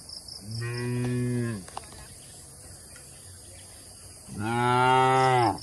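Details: Tame cattle mooing inside a village shed: two deep, drawn-out moos about three seconds apart, each lasting over a second and ending with a downward bend. A faint steady high whine runs beneath them throughout.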